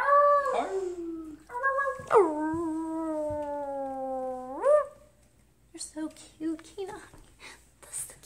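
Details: Husky joining humans in a howling session: a short wavering howl, then a long sustained tone held about three seconds that lifts at its end, followed by scattered yips and quieter sounds.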